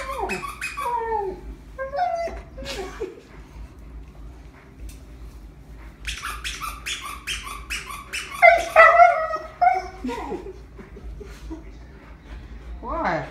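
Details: Husky named Ace crying over a deer toy it does not want squeezed; long run of high, bending whines and yodel-like yelps in clustered bursts, some rising sharply, with pauses between outbursts.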